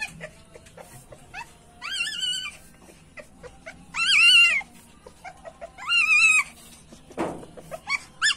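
A male civet in heat gives drawn-out, whining mews, repeated every couple of seconds.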